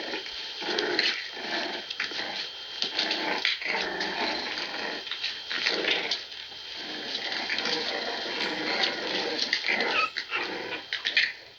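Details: English Bulldog puppies indoors make a steady stream of soft, breathy grunts, snuffles and small growls, rising and falling in short bursts without a pause.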